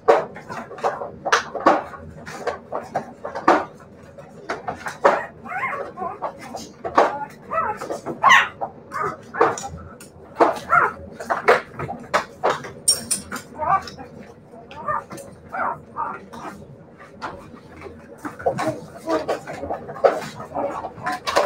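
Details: Siberian Husky puppies indoors give a busy run of short, high yips and whines, many overlapping, packed densely across the whole stretch, with sharp clicks and knocks among them.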